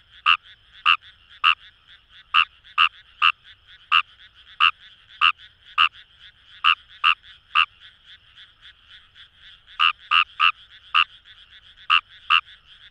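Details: Fejervarya kawamurai, recorded in paddy fields by the Kamo River in Itoshima, Fukuoka: bursts of quick, clicking croaks in irregular runs with a short gap, set against a humming chorus of further frogs.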